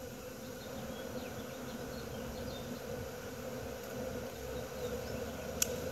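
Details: A June 2016 bee swarm in Wisconsin gives an even, unbroken buzzing hum from many wings, with light high bird twitters and a single sharp tick near the end.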